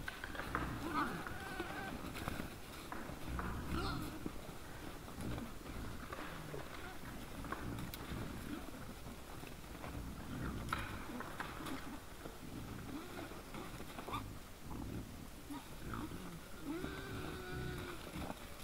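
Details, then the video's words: Several wild boars close to a trail camera at 20:17 on 17 December 2022, giving a steady stream of low, throaty grunts and snorts, with occasional higher squeaky notes over constant low rumble. "Nice sounds of the Wild boars"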